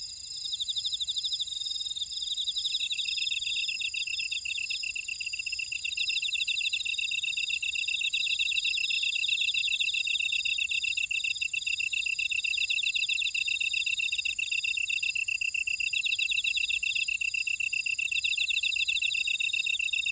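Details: Insects calling in a buckwheat field at Ora-dong, Jeju City, on Jeju Island, South Korea: a dense, steady chorus of high, shrill trills layered over one another, with a constant ringing tone above and rapid chirping pulses throughout.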